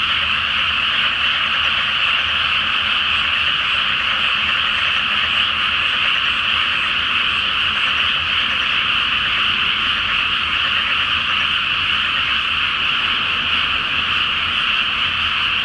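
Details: Frogs in full chorus on a full-moon night over a flooded rice field before planting; a steady, unrelenting mass of croaking and trilling voices, uniform from start to finish.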